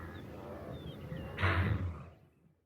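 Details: A single loud, low, rasping wildebeest grunt from wild Africa lasts about half a second midway, then fades out. Faint chirping birds and a low rumble are heard before it.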